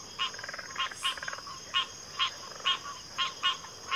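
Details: Backwater frog chorus with rapid repeated croaks, roughly two per second, a brief pulsed trill near the start, and a continuous shrill insect hum in the background.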